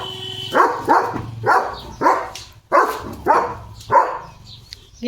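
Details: German Shepherd Leo barking at cattle passing the gate; a string of loud barks about every half second, mixed with human speech and a faint steady tone.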